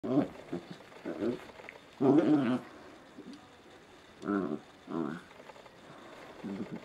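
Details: Two Scottish Terrier puppies romp in a dimly lit living room at 5 am on a Sunday morning, giving short rough growling bursts at irregular intervals, about six over seven seconds, with quiet gaps between.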